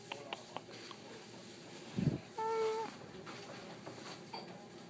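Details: Cat at a pet store, greeted by a person: one short, steady, tonal meow held level for under half a second, just after a brief spoken word, in a noisy indoor room.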